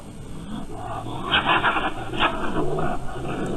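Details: At night in spring, a raccoon trying to get at young ducks in a pond gives harsh, raspy snarls in two or three short bursts over a low, rumbling growl, with a steady hiss in the background; the owner found the noise frightening and vicious.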